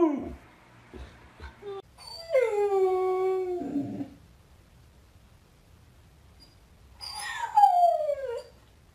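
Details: Domestic dog, possibly a puppy, howls: a few soft yips, then a sustained howl sliding gently downward, a pause of near silence, and a second higher howl falling steeply in pitch.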